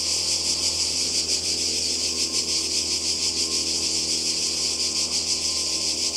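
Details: Summer cicada chorus on the Croatian coast, 2020: continuous shrill, hissing buzz with a gently throbbing rhythm that rises and falls slightly in strength, many insects blending into one steady wall of sound.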